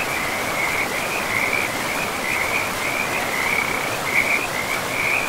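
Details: Frogs calling by a river in a pristine forest with moss-covered land: a steady, busy chorus of short, trilling notes at one pitch, rising and falling in clusters over a constant hiss of flowing water.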